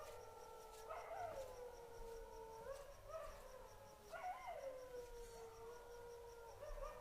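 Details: Golden jackals raise a wavering, overlapping chorus of long wailing howls that rise and slide downward at night, with a dog also barking.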